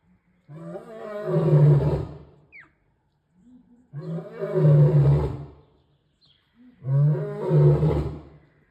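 A male lion gives deep, rumbling roars, each lasting about two seconds and repeated every few seconds.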